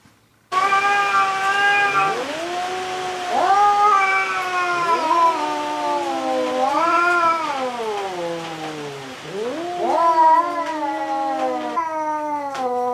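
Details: Rival cats, including a black-and-white cat, fighting for the third time: a run of about five long moaning howls, each swelling upward then sagging lower, with brief gaps between them.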